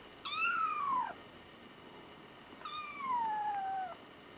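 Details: Tiny kitten, 24 days old, crying out on a set of scales; two drawn-out meows, the first short and falling, the second longer with a slow downward slide, separated by a brief silence.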